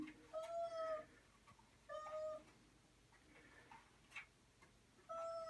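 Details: Pet cat during toilet training, meowing three times: clear, drawn-out tonal meows with a slight rise and fall, spaced a second or more apart, while a woman softly praises in Spanish between calls.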